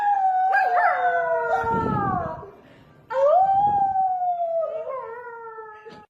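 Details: Dog making funny sounds, giving two drawn-out howls. Each starts steady and wavers, then falls in pitch, with a breathy noisy patch between them.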